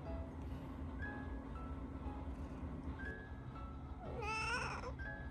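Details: Domestic cat, one of a pair of look-alike tabby sisters in a chatty household, gives a single short, wavering meow over steady soft background music with faint chiming tones.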